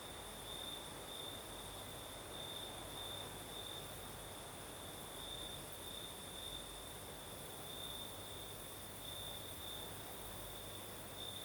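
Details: Crickets in Crimea's south at night, with night breeze: an unbroken high-pitched trill, brightening in short bursts every second or two, a faint shrill band higher still, and steady breezy hiss underneath.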